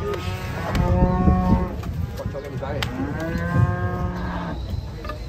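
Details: Angry fat cow tumbling down from a truck gives two long, deep, droning moos with rich layered overtones, the second one longer, over a constant low engine hum and background chatter.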